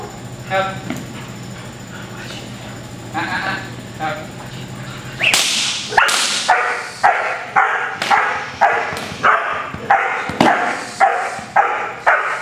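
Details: Protection training session with Cody, a sable male German Shepherd aged 8 months. Faint talk at first, then a steady run of loud, sharp barks about two per second. Each bark fades quickly.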